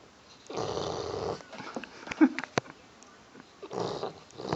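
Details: Bullmastiff snoring while asleep: two long, rough, breathy snores about three seconds apart, separated by a quiet gap with a few faint clicks and rustles.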